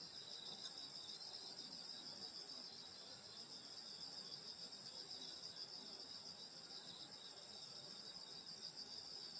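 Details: Countryside summer-night insect chorus at a grandmother's home, many callers layered into constant shrill bands that pulse slightly but never pause, over soft background hiss.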